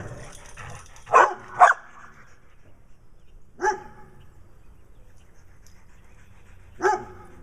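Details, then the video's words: Attention-seeking barks from a brown dog in Wadena, Minnesota, alongside Stella, a dog with black eye patches: a quick double bark, then single barks spaced a few seconds apart in a quiet room. "Stella the Dog with Black Eye Patches acting nutty while Brown Dog barks in Wadena Minnesota."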